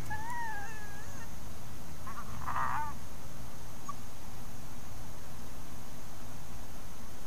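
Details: Resident coyotes interacting at the Hallam Lake nature preserve, caught by a trail camera: thin wavering whines, then a short rough burst of vocalizing near the middle, over a steady low background hiss.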